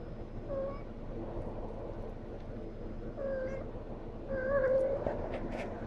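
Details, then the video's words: Female house cat whining for attention once her laser toy vanishes; three brief, nasal, wavering meows spaced a second or two apart, the final one drawn out and rising, against faint background hum. "My Cat Whining After the Laser Disappears"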